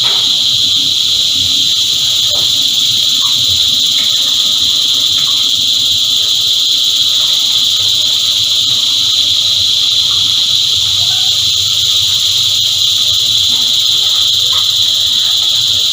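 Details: Many cicadas sing together in a dense, continuous shrill hum that holds an even pitch throughout. A few faint soft chirps come through in the background.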